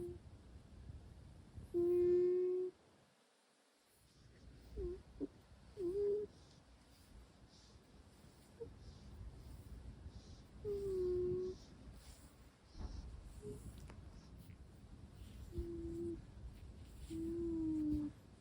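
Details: Sleeping Russian Blue cat making soft nasal hums and murmurs in its sleep: several low steady tones, some sliding downward, spaced irregularly among quiet breathing in a small indoor room.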